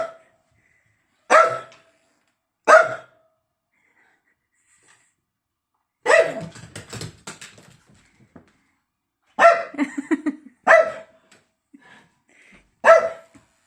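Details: Domestic dog barking at its bone: sharp loud barks, some in quick pairs, separated by pauses, with a rumbling growl-like stretch midway and a faint human voice in the background.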